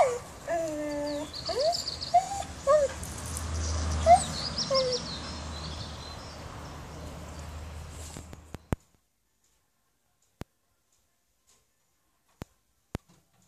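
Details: Dog at a boarding kennel in Reichshof, Germany, giving a few short tonal whines with falling and wavering pitch over the first three seconds, among faint bird chirps and outdoor noise, then near-silence broken by a few sharp clicks.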